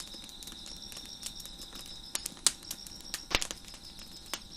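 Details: Steady high-pitched cricket trill carries on behind a fire on a deck, constant and unwavering, cut through by frequent loud crackles and snapping pops from the burning logs.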